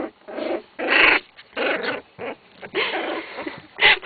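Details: Wolfspitz (Keeshond) puppies from a B litter growling and yapping in rough, noisy bursts about a second apart, with short squeaks in between and some faint human speech.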